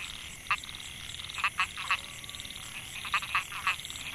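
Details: Microhyla pulchra, narrow-mouthed frog, in a rice field at Mae Hia, Chiang Mai, Thailand, 2014; male call that attracts females. Short rasping pulsed notes in groups of two or three, roughly seven notes, over a steady high insect whine.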